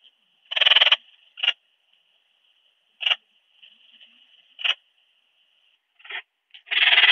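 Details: Rhacocleis annulata, the ringed bush-cricket, in Biedermannsdorf, Austria, on 8 August 2022, heard through a Pettersson D 100 ultrasound detector: a rasping pulsed burst, then several isolated short chirps about every one and a half seconds, ending in another long burst; constant thin whine behind.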